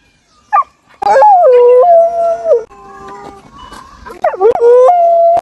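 A Samoyed gives drawn-out howls, each starting with a quick upward yelp before sliding down into a steady, wavering note. A quieter mid-pitched tone fills the pause between the two main howls.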